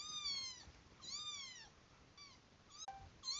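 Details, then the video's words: Kitten meows played back to an adult domestic cat, which came closer: a few high, clear meows, each arching down in pitch, with short gaps between them and a soft click near the end. "猫に子猫の鳴き声を聞かせたら 近寄ってきた"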